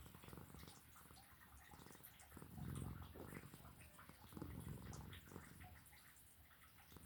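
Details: Sleeping cat snoring: faint, low rasping breaths swelling twice, around the third and fifth seconds, over a steady background hiss in a quiet indoor space.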